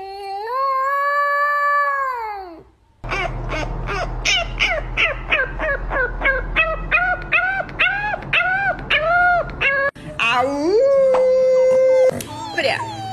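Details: Dog (puppy) (Canis familiaris), howl.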